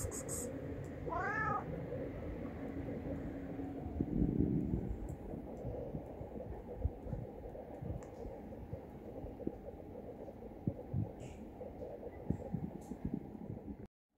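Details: Homeless male tabby street cat hugging a person's leg and begging for food; one short, wavering meow rising then falling early on, followed by steady low background rumble and rustling.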